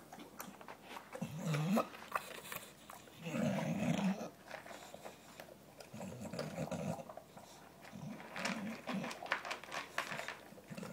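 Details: Gavin, a pet dog, growls low and rumbling indoors while hurrying through his dinner before the other dogs can get to it; short growl bursts near the start and middle, then softer ones, amid chewing and clattering.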